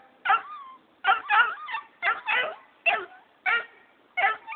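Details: Young Black and Tan Coonhound named Jake barking at his owner who is leaving; a steady series of high, bawling yelps with bending tones, about one or two per second, continuing without letup.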